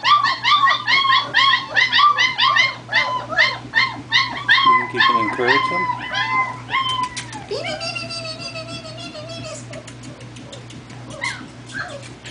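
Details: Four-week-old German Shepherd puppies on their first walk about; a puppy gives a rapid run of high, arching whines and yelps, roughly two or three a second, with people laughing and talking and music playing.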